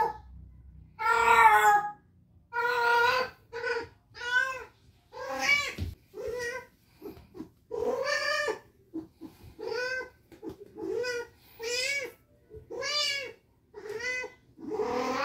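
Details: In heat for 19 days, spayed cat Mandy, who has ovarian remnant syndrome, keeps up a long run of rhythmic meows indoors. The yowls are rich in harmonics and come roughly every second, some of them drawn out and wavering.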